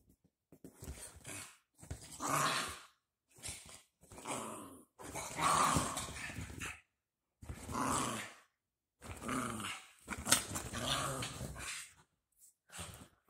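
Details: Two dachshund puppies playing just after their baths, giving rough growling bursts about every second or two, separated by short silences, indoors.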